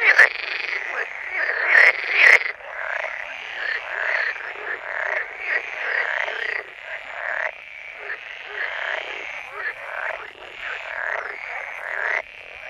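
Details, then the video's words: Frogs croaking in a steady chorus of short raspy pulsed calls, a couple of sharp clicks near the start, the calling continuing evenly throughout. "Sound of Frogs Croaking"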